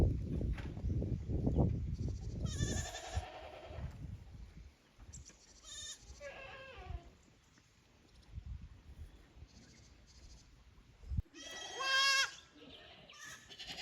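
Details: Young goat kids from the lower pasture visiting the upper pasture at Yoshigake goat farm on 15 May 2024, uneasy in unfamiliar ground. Three separate quavering, harmonic bleats come several seconds apart over low rumbling handling and wind noise.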